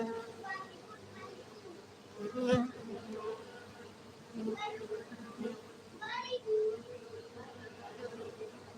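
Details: Many honey bees humming at a bee-farming centre in Gayo, Aceh, Indonesia; the steady drone runs throughout, with short harsh bursts and brief voice-like sounds layered over it.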